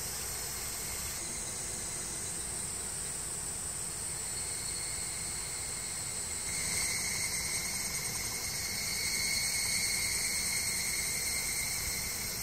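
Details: Summer cicada chorus in woodland below the Yoro Mountains, Tokai Nature Trail, Japan: continuous shrill buzzing in several layered bands, swelling louder after about seven seconds and staying dense throughout.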